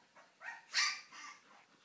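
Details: Siberian husky puppies about two weeks old, born 25 October 2011, eyes newly opened; a handful of brief, high, squeaky whimpers and yips, the loudest and shrillest near the middle, in a quiet room.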